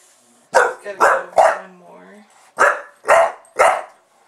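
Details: Pet bulldog Buster goes to town at the camera indoors: three rapid loud barks, a brief whiny grumble, then three more evenly spaced barks, each bark harsh and broadband.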